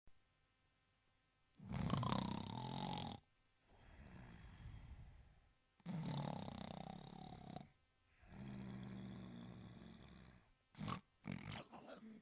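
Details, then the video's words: Sleeping Italian Greyhound snoring: two long, loud rasping inhalations with softer breathy exhales between, then a low buzzing droning snore that holds for about two seconds, ending in a few short sharp snorts. "Italian Greyhound Sleeping & Snoring"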